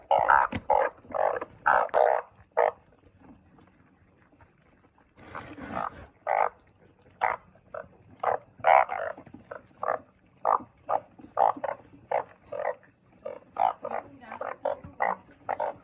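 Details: Truncate-snouted burrowing frogs croaking: short, harsh, pulsed croaks repeated rapidly for about three seconds, a brief pause, then a long run of evenly spaced nasal bursts roughly twice per second that overlap as several frogs call together.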